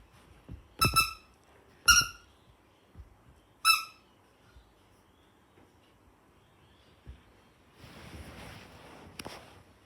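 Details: A female toy poodle puppy, three minutes old, introducing herself to the world: three short, high, ringing squeaks about a second or two apart, followed by quiet and soft rustling handling noise near the end.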